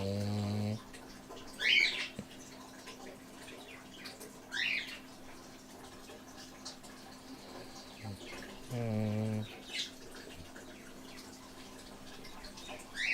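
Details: Male Dobermann dog asleep and snoring, possibly dreaming, the first time his snoring was heard; two low, buzzy, harmonic snores, one at the start and one about eight seconds later, with light chirping birds between them.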